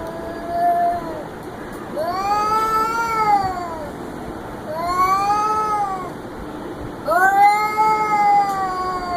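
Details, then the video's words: Cat making weird sounds: three long drawn-out wavering meows, each rising then falling in a harmonic-rich arch over about two seconds, repeated every two to three seconds against a faint steady background hum. "Cat making weird sounds"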